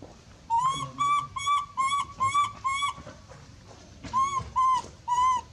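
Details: Loud screams of a monkey calling for help, a run of six steady tonal cries rich in overtones, then a pause and three more evenly spaced cries.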